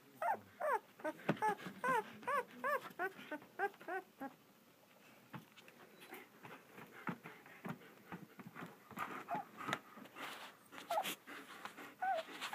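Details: German Shepherd puppies, two weeks old, in Florida from Vom Barron's Pride: a rapid run of arched, squealing whimpers over the first four seconds, then quieter shuffling and scattered faint squeaks indoors.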